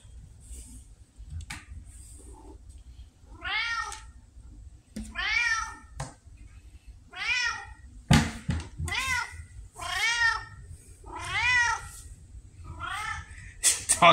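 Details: Pumpkin, a talkative female red tabby indoor cat said to talk like a Siamese, meows repeatedly while asking for food, about eight drawn-out meows over fourteen seconds with clicks and a person's voice in between.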